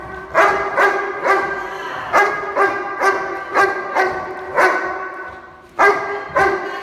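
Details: A 14-month-old Doberman in object guard training gives a run of loud, harsh, ringing barks. There are about a dozen in seven seconds, spaced unevenly in bursts of two or three, with brief pauses between them.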